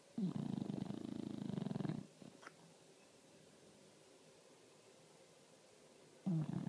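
An English Bulldog snores with a long, low, rattling breath, then a pause before the next one begins.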